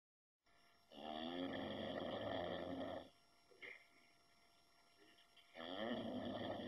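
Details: Shar Pei dog asleep and snoring: a long rough rattling inhale lasting about two seconds, a quiet pause with a small snuffle, then another raspy snore beginning, with a steady high electrical hum behind.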